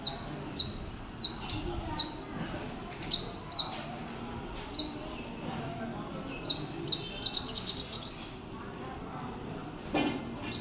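A squirrel gives short, sharp, high chirps, repeated roughly every half second over a steady background hiss.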